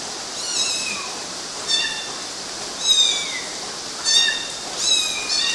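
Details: Kittens climbing on mosquito nets in Galati, Romania, June 2012, giving about five thin, high meows, some sliding downward, spaced irregularly over a steady hiss.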